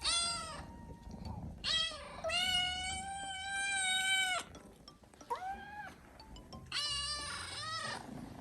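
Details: Hungry young Japanese kitten loudly scolding its owner after he overslept: long, strained, harmonic-rich meows, one drawn out for about two seconds, others shorter and rising, repeated several times; faint background music.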